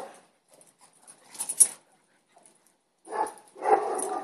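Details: A Boston Terrier gives a few short, rough barks separated by brief pauses, with the neighbours' dogs barking at the time.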